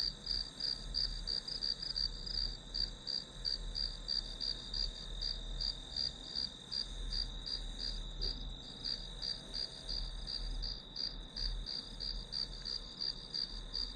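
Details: Study-session white noise of grass insects: a bright, high chirping pulsed about three times per second over a sustained ringing note, set against faint low background hum.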